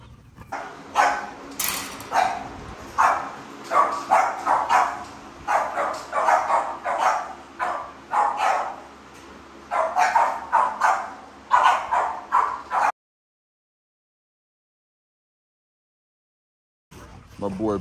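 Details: Pit bull at a breeding kennel, with the dogs Prince, Roxy and Zeus present, barking in loud, sharp, broken bursts about once a second for roughly thirteen seconds, then silence and a short final noise.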